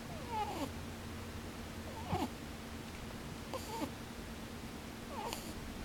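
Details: Rabbit dozing with open eyes, giving soft snores: four brief wavering squeaky puffs, pū-pū, bū-bū, spaced roughly every one and a half seconds against a quiet indoor hum.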